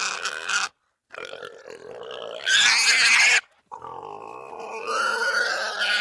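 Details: Russian boar giving harsh squeals and grunts, a rough nasal call, then a loud piercing scream in the middle, a brief pause, and a rising strained squeal at the end.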